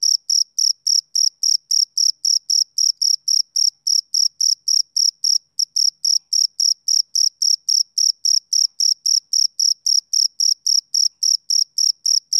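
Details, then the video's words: Rhythmic, high, piercing chirps from a male cricket, about four short pulses each second, with a tiny hitch midway before the unbroken pattern continues on a quiet background. "Cricket Chirping Sound Effect"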